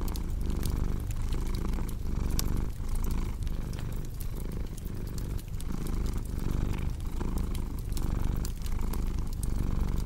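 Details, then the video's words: Relaxed cat purring steadily, its throaty rumble rising and falling about every 1.3 seconds in rhythm with breathing, beside a softly crackling fireplace. "Purring Cat"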